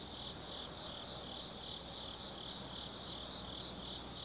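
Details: Insects singing on an autumn night in the Tsukimi Forest of Gifu Prefecture, Japan: layered high trills pulsing roughly three times a second, steady and unbroken, with a faint low-frequency background murmur.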